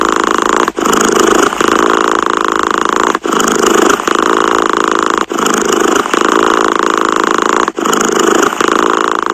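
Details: Cat purring in regular breath cycles, each stretch of throbbing buzz ending in a short silence about every two seconds, four pauses in all.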